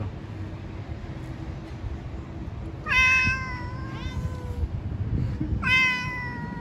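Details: Stray street cats talking to each other: a loud, drawn-out wavering meow that slides downward, then after a pause a second shorter meow, against a low rumble of background noise.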